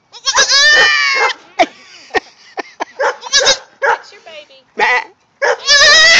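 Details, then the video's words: Four-hour-old goat kid looking for its mother, distressed: long loud bleats at the start and end, broken by shorter bleats and a person speaking encouragingly in between. "baby goat video gettin' vocal !!!"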